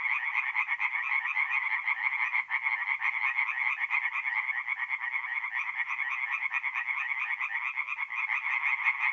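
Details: Tree frogs in a forest pond at night, mid-April in North-East Italy, calling in a thick overlapping chorus of rapid rasping pulses, several per second, loud and unbroken throughout.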